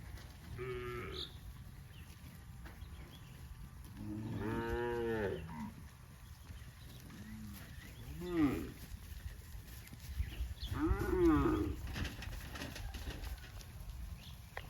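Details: Tame cattle running in green grass rice fields on a farm low repeatedly: four moos across the stretch, two long ones strongly harmonic and rising then falling, with a steady low background hum.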